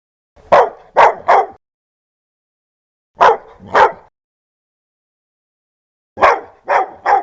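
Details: Dog giving loud, hostile barks: harsh volleys of three, two and three barks, each burst rapid and separated by silent gaps of a couple of seconds.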